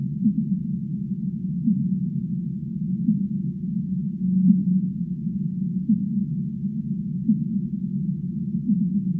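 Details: Singing humpback whale: deep, wavering moans and short tonal swells repeat irregularly over a continuous muffled underwater hum. One steadier held note stands out near the middle.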